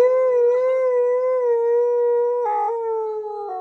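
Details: Siberian Husky indoors, vocalising angrily at his owner for talking over him, one long unbroken howl with a steady, slightly wavering pitch that dips lower near the end, loud and clear throughout.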